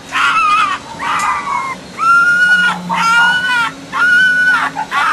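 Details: Fox sounds from the mating season: loud, nasal whining calls repeated about once a second, each a level or slightly falling tone with a rough edge and a clipped ending, alternating with breathier, shorter notes.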